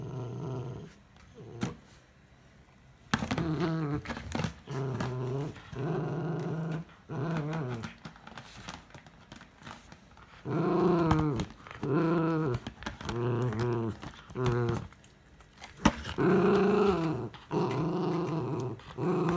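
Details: Miniature Schnauzer named Kurumi, wearing socks indoors on a slippery wooden floor, growls while playing with an empty chocolate ice-bar box; low, harmonic growls in bursts of about one second, repeated with short pauses, some rising into whiny tones.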